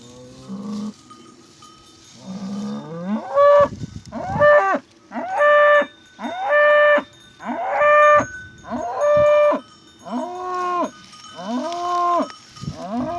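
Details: Angus cattle in a village setting: a series of loud, drawn-out moos roughly once a second, each a strong harmonic bellow that rises then falls at the end, preceded by softer lowing and with background music.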